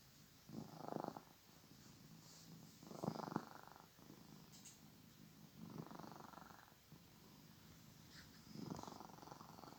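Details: A pet cat snoring loudly, with four rough, rumbling breaths about two and a half seconds apart, each swelling and fading, against a soft steady background hiss.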